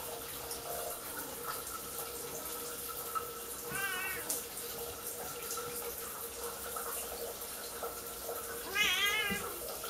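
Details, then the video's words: Siamese cat Kiki meowing indoors before her owner showers, two harmonic-rich meows about five seconds apart, the second louder and rising then falling, over a steady hiss of running water in a small bathroom. "Siamese cat meowing before I take a shower"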